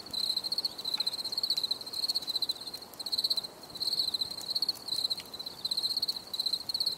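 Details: Cricket chirps in a calm nature recording: bright, high, pulsed trills come in rapid clusters separated by brief gaps, continuing without pause, with no other animals or voices.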